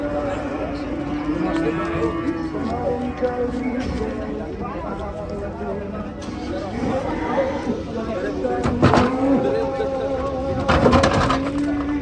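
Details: Cattle moo, long and steady, at the start, then again near the end with a second drawn-out low call, while voices chatter throughout and bursts of clatter break in.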